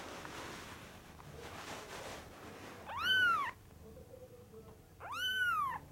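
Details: DO-E, a kitten at the FANTARJA cattery, gives two clear arched meows roughly two seconds apart, each bright and harmonic-rich, after a stretch of soft background rustle.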